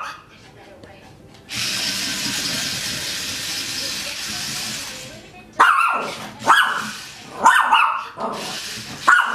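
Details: A Maltese dog playing with a toy spider gives four sharp, high-pitched yaps after several seconds of steady rushing noise.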